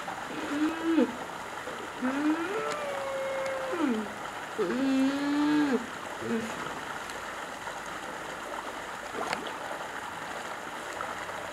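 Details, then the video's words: Rescued grey seal pup at a seal sanctuary in Cornwall, moaning because it is not yet feeding time: a string of wavering, rising and falling tonal moans over the first six seconds, then quieter, with steady water-like rushing throughout. "moaning that it is not feeding time yet"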